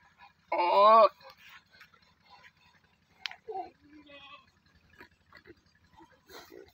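A goat gives one loud, nasal, quavering bleat, followed by faint murmurs and soft knocks.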